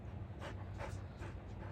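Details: Samoyed, a large dog, during a home intelligence test: four soft breathy bursts of panting at a steady pace over a low constant background hum.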